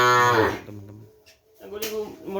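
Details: Madura cattle of the kerapan bull-racing type, breeding stock brought from Sapudi Island, heard indoors: a loud, low, harmonic moo in the first half-second, then quieter murmuring and a faint tonal hum.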